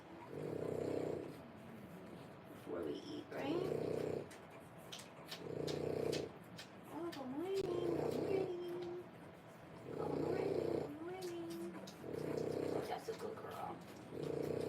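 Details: French Bulldog puppies three weeks old: a few wavering, whiny squeals rise and fall between pulses of a low droning rumble that repeats roughly every two seconds, with faint clicks and rustles in the background.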